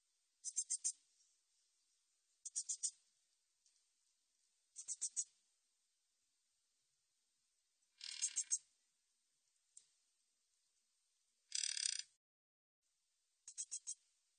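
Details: Min's bush cricket from a 2020 National Institute of Biological Resources recording, giving high, dry buzzing bursts every two to three seconds, some split into three or four rapid ticks, others a single longer rasp, against a silent background.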